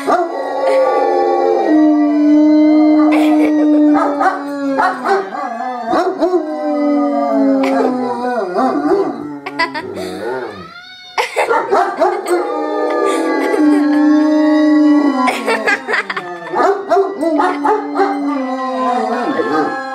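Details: Pair of 2-year-old dogs howling in response to a fire siren, their drawn-out wavering cries rising and falling over the siren's steady wail, with a brief quieter dip midway before both resume loudly.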